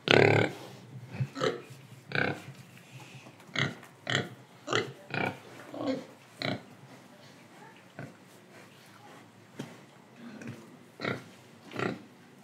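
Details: Pig recorded in Indonesia while breathing and eating: one loud opening grunt followed by a string of brief clicky grunts and snorts at uneven intervals, with quieter gaps of breathing in between.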